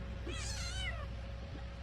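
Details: Kitten that eats a lot crying loudly while being wiped clean; one drawn-out, wavering meow with rich overtones, rising then falling over about three-quarters of a second, over a steady low hum and a woman talking in Vietnamese.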